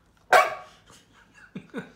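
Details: Adopted female rescue dog, indoors, frustrated after failing to make her bed and objecting to being laughed at: one sharp bright yelp-like bark, then soft murmuring grumbles and two short low huffs.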